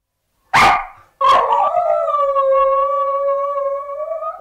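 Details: Samoyed puppies indoors: a short sharp bark, a brief pause, then one long steady howl that holds level with a bright layered tone and lifts slightly at the end.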